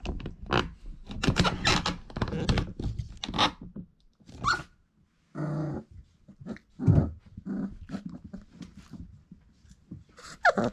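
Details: Four-week-old Irish Setter puppies from dam Grit and sire Cain: scattered rough growling bursts with gaps of quiet, a brief higher yelp near the end and shuffling noises between.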